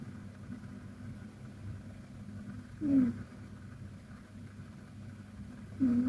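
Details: KTO, a fluffy Persian cat, snoring softly while sleeping deeply; two brief snuffling snores roughly three seconds apart rise out of a constant low droning background.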